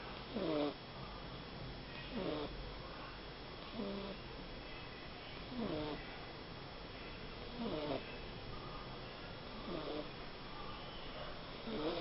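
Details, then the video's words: A small pet dog snoring while asleep: wheezy, tonal snorts with a curving whine-like pitch, one on each breath about every 1.7 seconds, over a steady low background hum. "Cachorro roncando"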